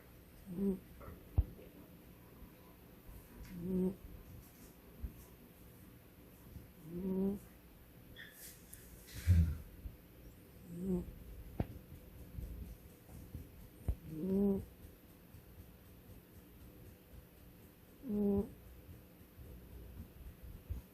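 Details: Pet cat snoring indoors: soft, rhythmic purring-like snores with a low harmonic buzz, each breath lasting about a second and recurring every three to four seconds, with a faint room hum in the background.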